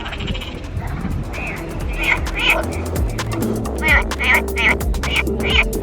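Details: Night frog chorus on Turkey's south coast, short bright croaking bursts repeating rapidly over a low hum of music, enjoyed as a peaceful frog concert at an overnight stop; frog.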